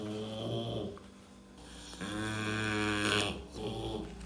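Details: French Bulldog eating persimmon after a walk, breathing in a continuous buzzy, rumbling snore-like snort that swells and eases over about four seconds, with brief pauses near one and a half and three and a half seconds.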